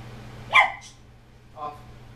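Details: Three-month-old Weimaraner puppy during quick trick training at home, giving one short sharp bark followed about a second later by a softer, lower bark, in a quiet room.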